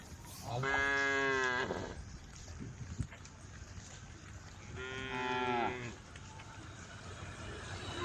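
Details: Cows roaming a dusty country road in a herd, mooing to call the herd: two rich harmonic lows about four seconds apart over steady outdoor background noise.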